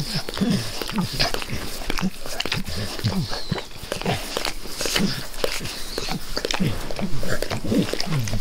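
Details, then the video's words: Pet dog eagerly licking its owner's face close up, a steady run of wet, smacking slurps and tongue clicks, several per second, with soft breathing and no talking. "ASMR DOG LICKING"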